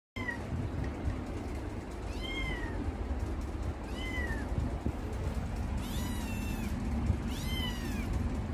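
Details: Kitten meowing indoors, a series of short rising-then-falling mews repeated about every one to two seconds, steady low background hum throughout.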